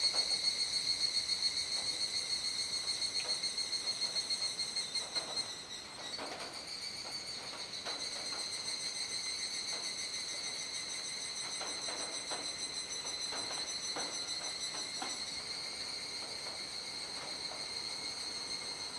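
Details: Large cicada chorus fading at dusk, Kuji, Iwate Prefecture, Japan, 17 July 2017 around 19:11–19:25, rainy season. A loud pulsing high drone drops abruptly near six seconds, then continues as a softer steady shrill buzz with scattered faint knocks.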